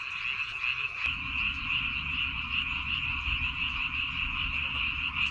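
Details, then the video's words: Many frogs calling at night-free countryside rice fields on Baengnyeongdo Island, South Korea: a dense, unbroken chorus of fast, overlapping trilled croaks at a steady high pitch, with a soft low rumble beneath. "백령도 논에서 우는 개구리 울음소리"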